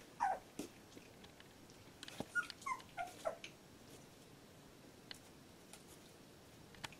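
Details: Labrador Retriever puppy, 14 days old, from a litter indoors, giving a burst of short high squeaky whimpers, several rising and falling yelps over about three seconds, then quiet with faint scattered clicks and rustles.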